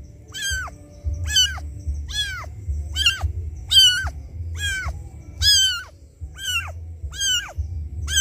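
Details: Kitten crying for its mother after being left alone. Ten strident, arched meows come at a steady pace, each a piercing wail, over a noticeable low droning hum.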